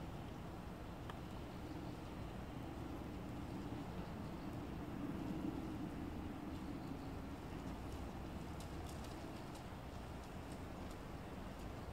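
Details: Constant low rumbling hum of machinery or traffic fills the whole stretch, with faint scattered ticks at high pitch and no clear animal call.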